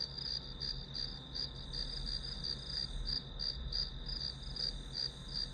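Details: Grass insect sounds used as a study background: bright, shrill pulsed chirps repeating roughly three per second in an even rhythm, with a faint low droning hum underneath.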